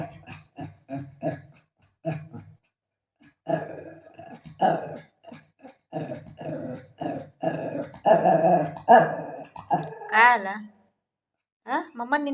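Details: Shih Tzu at play with its owner, giving many short gruff growls in fast uneven bursts that build louder, a high whiny yelp near the end.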